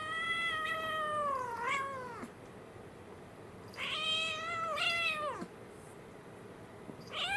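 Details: Pair of young kittens indoors, an American Shorthair male and a Munchkin female born April 2021, play-fighting; loud, long meows that rise then bend sharply downward, three in sequence about two seconds apart.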